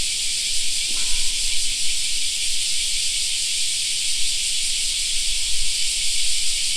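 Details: In a park in summer, cicadas keep up a loud, even, shrill hiss with a fine shimmering pulse. A short faint sound near the start and low rumbling lie underneath.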